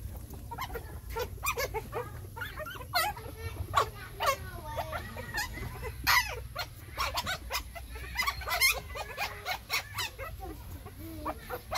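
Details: Puppies suckling from their mother, giving a dense run of short, high squeals and whines that rise and fall, some sharp and piercing, close together throughout, with low rumbling handling noise and a little speech beneath.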